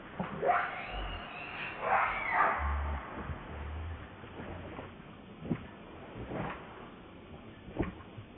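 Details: Lucie, a baby monkey, begs its mother for milk with arched, wavering cries that rise and fall, two clear ones early, then fainter short squeaks and clicks against a low hum.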